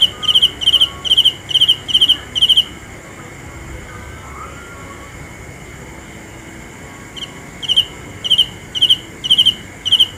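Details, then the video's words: Cricket chirping in high, pulsed bursts about twice a second for two seconds, a pause of roughly five seconds with only a steady faint hum, then the bright chirps start again. "The best sounds of Cricket 《 Suab Kab Ciliv Quaj Zoo Heev》 ( ສຽງແມງຈີ່ນາຍຮ້ອງດີໆ )"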